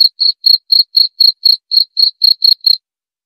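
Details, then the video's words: Cricket chirping about four times a second, eleven sharp high pulses in a regular row, then stopping into silence. "Suara Jangkrik"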